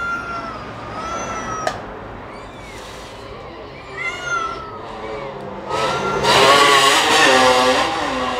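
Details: Cat and kitten while feeding: a few high, arched meows at moments across the stretch, rising then falling, with a loud burst of broadband rustling noise toward the end.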